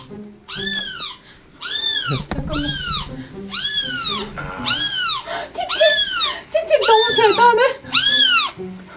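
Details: Kitten cries played back outdoors in Chuncheon, South Korea, luring an adult pet cat toward the sound; a rapid series of about nine high, arched mews about a second apart, some overlapping, over a low steady hum and soft background noise.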